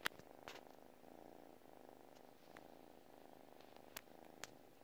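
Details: Purring from a domestic cat as it sleeps, an even, gently throbbing drone with occasional short taps and clicks scattered through.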